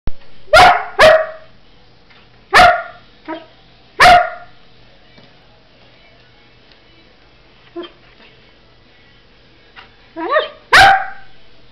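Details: A 9-month-old Old English Sheepdog barks while following its owner and then running away: about eight loud, sharp barks, several in quick pairs, separated by irregular pauses of up to four seconds, in a quiet room.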